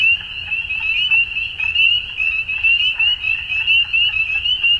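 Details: Evening frog chorus at dusk, a bright, continuous wall of high, quickly repeated chirping notes, pulsing rhythmically in loudness with a faint low rumble beneath.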